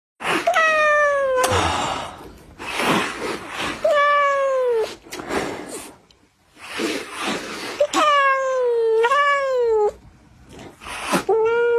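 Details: Domestic cat giving loud, drawn-out harmonic meows, several gliding downward in pitch and one wavering rise-and-fall, with short breathy noisy bursts between calls in a small indoor space.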